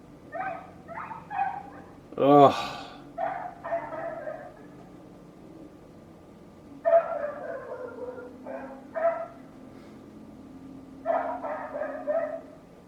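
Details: Neighbour's dog giving repeated yappy barks in three bursts, with one louder, higher, ringing bark and brief speech near the start of the series.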